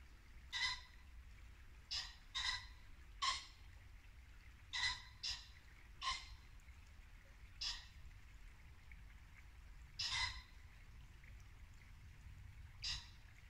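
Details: Muntjac deer barking at dusk in late winter woodland in Norfolk: short harsh barks, irregularly spaced, about twenty a minute, over the steady murmur of a babbling brook.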